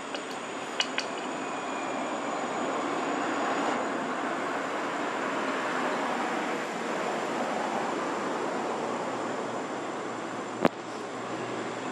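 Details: Even, wide rumble of background noise with a few sharp metallic clinks near the start and one loud tap late on, and no animal voice.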